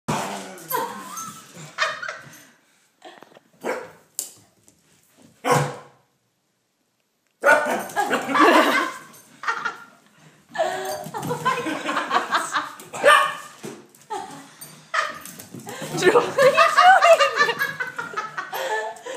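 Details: Female puppy barking at Hugo and a toy, a run of sharp, harmonic yaps coming in uneven clusters with short pauses and a silent gap, growing busier and more continuous toward the end.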